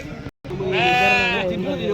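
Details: Sheep at the Pebbair sheep market bleating one long, wavering, nasal cry of a little under a second, preceded by a brief pause, with people talking around it.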